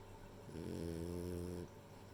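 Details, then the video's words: Rei, a sleeping female French Bulldog, gives one deep, rattling snore lasting about a second, swelling in and cutting off against a quiet indoor hum. "寝る前に聞きたくなるフレンチブルドッグのイビキ（snoring dog）"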